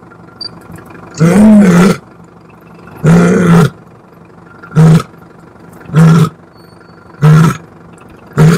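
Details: Lioness roaring: a series of deep, powerful roars, the first two long and rumbling, the rest shortening into clipped grunting bursts about every second, separated by quiet pauses.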